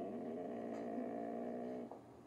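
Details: Siberian Husky throwing a tantrum indoors after being told to get off a chair: a sustained, steady, harmonic grumbling howl lasting about two seconds, then trailing off, with a woman's voice coaxing it down.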